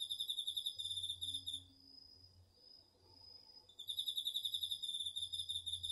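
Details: Garden-field cricket in autumn, DR-40X recording: a quick high pulsed trill stops for about two seconds while a smooth continuous tone from another insect carries on, then the rapid chirping returns, with faint low rumble beneath.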